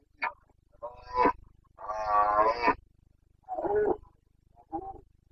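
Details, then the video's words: Red deer stag of the Carpathians in rut, Bucovina, 29 September 2022, gives hoarse grunting roars: short barks building to a long, rich, drawn-out bellow near the middle, followed by two shorter gruff calls over a faint low hum. "Boncănit / Carpathian stag Breeding season"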